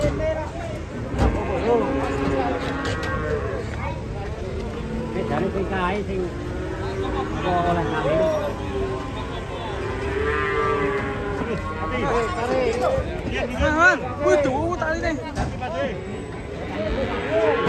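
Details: Agitated cattle being unloaded, jumping down from a truck in Indonesia: repeated drawn-out, wavering moos with bending harmonic tones, mixed with crowd voices and steady background commotion.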